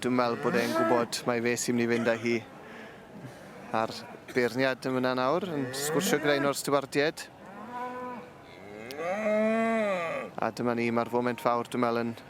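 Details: Welsh Black cattle at a bull championship show: drawn-out low moos with a smooth rise and fall, the longest lasting about two seconds near the end, amid bursts of people talking and shouting around the ring.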